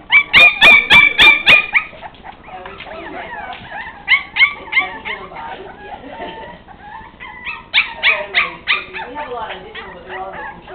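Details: West Highland White Terrier puppies: a burst of high, thin, repeated whines and yelps in the first two seconds, then overlapping squeaky whimpers and howl-like cries rising and falling throughout, with a quieter stretch midway.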